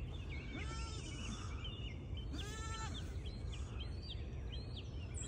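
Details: Baby registered Pygmy goats exploring on a farm in Knoxville, Tennessee, USA: two wavering, harmonic bleats about two seconds apart, sliding down at the end, with many small birds chirping and a low steady rumble beneath.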